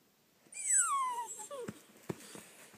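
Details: Lucy, an 11-month-old dog, whines to be played with: one long high whine slides steadily downward, then a brief second whine rises and falls, followed by a few soft clicks and taps indoors.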